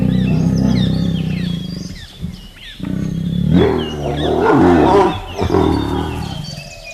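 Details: A Bengal tiger in a forest yawns, a deep, drawn-out groan that swells and fades over several seconds.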